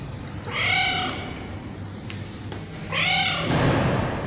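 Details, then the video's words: Tabby cat meowing twice, each meow a bright harmonic arch rising and falling, about two seconds apart, over steady background hiss. "Tabby Cat Meowing"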